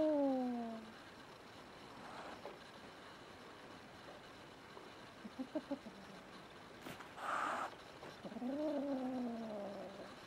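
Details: Young female kitten Rin, born spring 2016, in her new home threatening the resident male cat Tama. Drawn-out descending yowling calls open the clip. Soft chattering pulses follow, then one sharp breathy hiss burst midway, and a final rising-falling wail.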